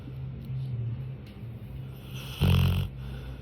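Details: Sleeping pet dog snoring: one short, low, rough snore with a harmonic rattle near the end, over a steady quiet indoor hum.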